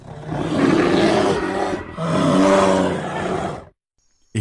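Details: A black bear at a mini zoo in Pahalgam gives two drawn-out, throaty roars back to back, low and gravelly with a rasping edge, each well over a second; near silence follows, ending with a brief clatter.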